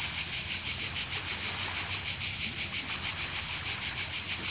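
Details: Cicadas buzzing on the Croatian coast, a high rasping drone that swells and fades in rapid even pulses, with faint wave rumble below.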